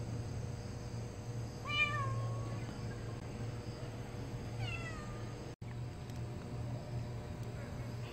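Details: Stray cat returning after TNR neutering: two short rising-falling meows, the first near two seconds drawn out, the second fainter near five seconds, over a steady low hum; a person greets it.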